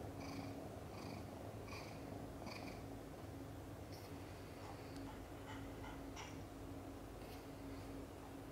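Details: Domestic mother cat in labor, giving birth to five kittens, some born backwards: a quiet, steady low rumbling purr runs throughout, with faint rhythmic higher pulses recurring about every second early on.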